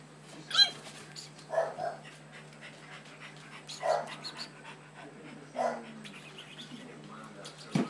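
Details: Six-week-old puppies: short, sharp yelps and squeaks spaced about every two seconds, each brief and mid-pitched, with faint rustling between them.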